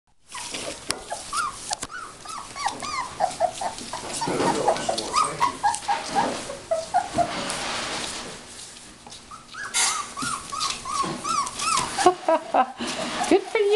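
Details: Dog playing tug, letting out many rapid high whines and yelps in quick arched bursts, with growly rough noise in the middle and people talking briefly in Dutch at the end.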